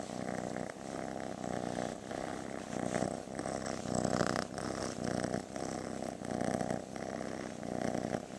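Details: Loving rescued female kitten, once listed as shy, purring close up: a rough, rhythmic rumble pulsing in long breaths roughly every second or so across the whole stretch, steady and loud, with a faint background hiss.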